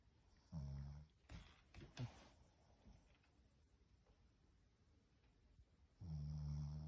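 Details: Shih Tzu named Mābō sleeping soundly belly-up like an old man after coming home from a walk, snoring loudly: two deep, rumbling, low-pitched snores at the start and end, with quiet rustling and a few sharp clicks in between.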